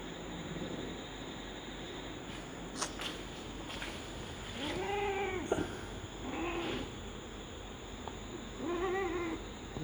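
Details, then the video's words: Doll-face Persian female cat in mating season gives three drawn-out, arching moaning meows with rich overtones, near the middle and end, while a man talks in Hindi and handling noises sound between calls. "persian doll face female mate peki cat"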